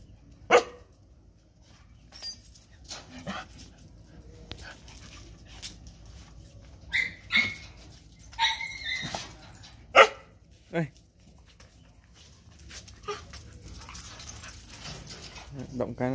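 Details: Phu Quoc Ridgeback about to give birth, with scattered short barks and yips spread over the stretch amid handling noises and faint human voices.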